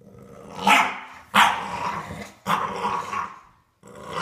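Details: Bulldog puppy playing tug of war, giving four short, rough growling bursts with strong mid-range harmonics, separated by brief pauses.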